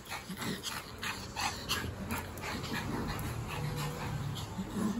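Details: A Pomeranian, overexcited and refusing to stop while playing with a Boston Terrier, gives short, sharp yips and scuffling barks against a low background hum.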